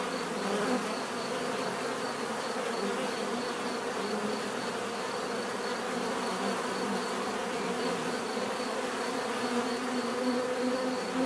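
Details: Continuous hum of bees in a swarm-like chorus, layered wingbeat tones holding level for over ten seconds, with a few brief louder buzzes near the end.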